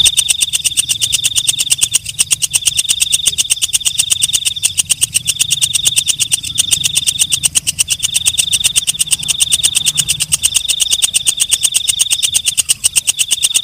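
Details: Katydid known as walang kecek, heard at night: a shrill, even whine with quick regular clicks layered through it, the tone pausing briefly every second or two while the clicking carries on steadily.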